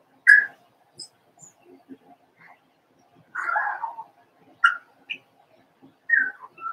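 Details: Litter of Cavalier King Charles Spaniel puppies aged four weeks, Daisy's pups in their pen, making loud high squeals and whimpers, some rising then falling, in short bursts with quiet gaps.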